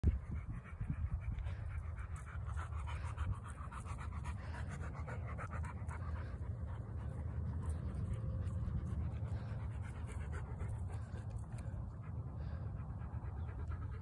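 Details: Labrador Retrievers outdoors, black and yellow, panting steadily: a continuous rapid, breathy low rasp throughout without pauses.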